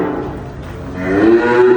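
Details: Short moo from a dairy cow at a farm near Dhaka, Bangladesh, where heifers and cows giving 20 to 45 litres of milk are sold; a quieter opening swells into a louder, steadier tone with a faint higher overtone.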